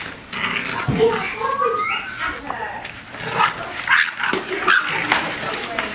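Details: Bulldog puppies, about five and a half weeks old, playing and fighting indoors: a string of high, wavering whines and short yelps that slide up and down, with scuffling, a person talking, and a brief bark-like yip.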